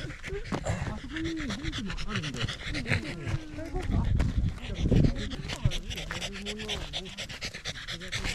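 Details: Pembroke Welsh Corgi hiking a rural mountain on a sunny autumn day with views of the central Japanese Alps and Ina Valley, breathing in quick, rough pants about once a second while people chat nearby.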